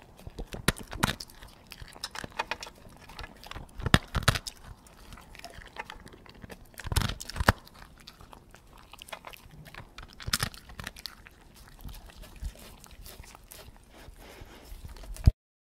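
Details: Dog feeding slowly and chewing, with irregular soft crunches and wet clicks throughout and louder bites near one, four, seven and ten seconds, ending abruptly.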